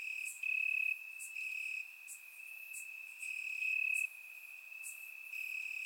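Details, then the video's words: Night chorus of crickets in summer grass, Bulgaria: continuous shrill trilling that swells into brief louder stretches, with scattered sharp high clicks over the top. "Cricket Sounds - Crickets Chirping at Night"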